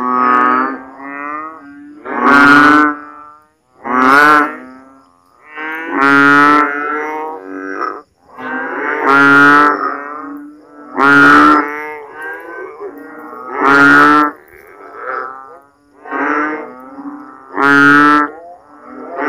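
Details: Frogs calling loudly at night in a backyard during the rainy season in the Philippines, after heavy rain leaves water standing in swales and ditches: deep, nasal, bleating groans, repeated roughly every two seconds, rich and buzzy, with overlapping callers.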